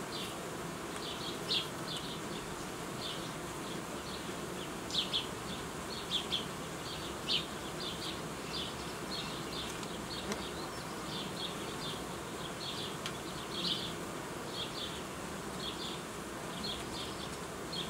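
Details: Honey bees in an apiary where colonies are being united and old queens replaced with young ones: a steady dense buzzing hum fills the clip, with short high chirps repeating over it throughout.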